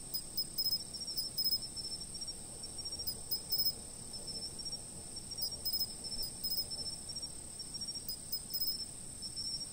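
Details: Chirping insects from a fixed camera: an unbroken shrill high whine underlies quick groups of three or four sharp pulses that come irregularly every second or two, with soft low rumble beneath.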